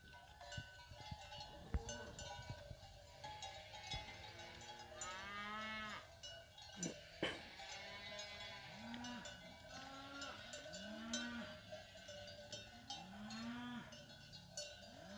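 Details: Fighting-breed cows with calves descending from the hills: a series of short, low moos, often rising then falling, repeated every second or two, over continuous jangling cowbells.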